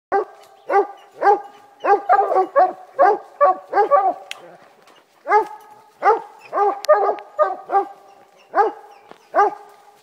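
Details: Walker hounds treeing, giving a rapid series of loud, ringing bawls with stacked harmonics, several voices overlapping in bursts with a short pause near the middle.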